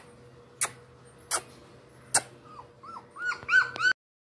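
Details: Golden retriever or Pomeranian puppies whimper: short, arched whining notes rising and falling, quickening toward the end after a few sharp knocks.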